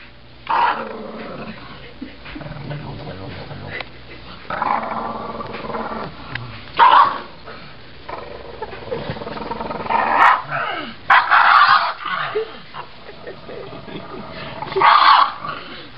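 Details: Pug with a pizza, making low growls and grunting noises in short rough bursts spread through the clip, with quieter rumbling between them and some human voices indoors.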